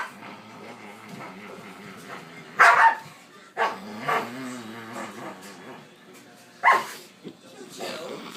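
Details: Playing dogs bark in short loud bursts, three or four over several seconds, mixed with human speech and softer low vocal sounds between them.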